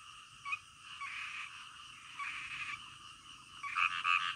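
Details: Frogs calling at night over a continuous chorus, with a few louder nearby croaks standing out, the last ones a quick bright double-note burst near the end.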